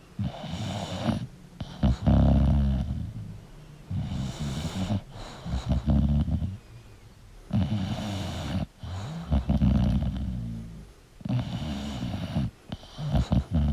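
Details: English bulldog snoring while sleeping: heavy, throaty rumbles roughly every two to three seconds, each breath rough and vibrating, with soft gaps between.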